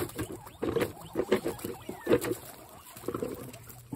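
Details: Excited guinea pigs calling in a burst of short, throaty chut notes, clustered in quick runs with a short pause before a final group, over a faint steady low hum.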